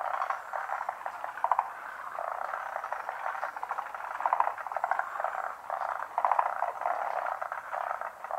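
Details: Large chorus of unseen frogs calling from a pond: dense, continuous croaking and rapid pulsed rattles in a mid-pitched band, with louder bursts of clicking trills near 1.5, 4.3 and 6.3 seconds.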